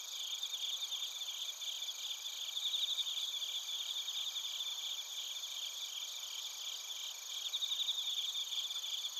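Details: Crickets singing in Narita, Chiba Prefecture, Japan, recorded using a TASCAM Portacapture X8: overlapping high, fast-pulsed chirps rise in brief louder bursts over a constant ringing background, a thick nonstop chorus.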